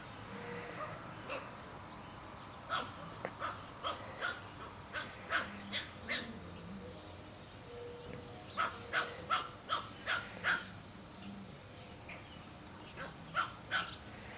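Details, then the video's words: Pug guarding a piece of barbecue foil it will not share with a black pug puppy; short sharp barks and yips come in bursts, several in quick runs around three and nine seconds, with another pair near the end over quiet room noise. "Pug doesn't want to share barbeque foil"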